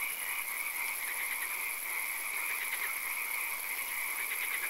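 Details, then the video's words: Frogs calling in a swamp at night: a dense, steady chorus of trilling, pulsed calls overlapping without pause, with a constant high, thin hiss running beneath. "Frog Calls, Swamp Sounds and Occasional Rain"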